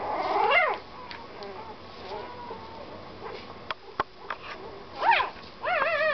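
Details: Puppy crying on the road home: a rising-then-falling whine at the start, a quieter stretch with faint whimpers and a few sharp clicks, then two more pitched, wavering whines near the end over low background rumble.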